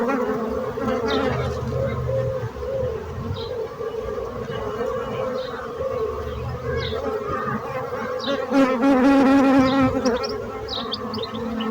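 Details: Bees buzzing in a steady hum with layered drone bands and a brief louder, higher whine near the ninth second; faint chirps appear over the drone.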